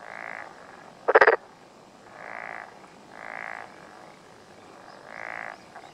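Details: Black-spotted pond frog calling in a mountain area of Yamaguchi, Japan, on a June morning; one loud rattling pulsed croak early, then three softer drawn-out humming calls spaced about a second and a half apart.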